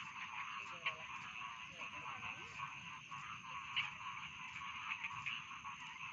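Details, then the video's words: Paddy field frogs in a continuous chorus for bedtime listening: a thick layer of trilling croaks with occasional sharper clicks standing out against the constant buzzing drone. "Bedtime Frog Sound || Suara Katak Sawah Pengantar Tidur"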